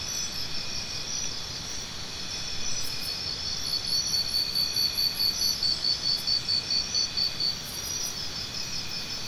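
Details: Mid-clip burst of cricket chirping: brisk, regular high pulses lasting about four seconds, framed by a continuous background insect chorus.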